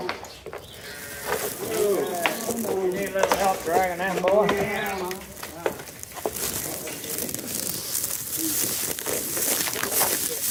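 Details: Sheep during shearing, giving several wavering, quavering bleats in a cluster around the middle, with harmonics stacked above each call, mixed with people talking and a steady hiss of background noise.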